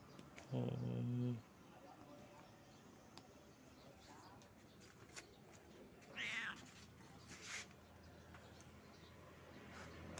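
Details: Pregnant stray cat sitting limp at the edge of a shop on the street, giving short rising meows partway through, with a louder low tonal burst at the start and faint street noise throughout.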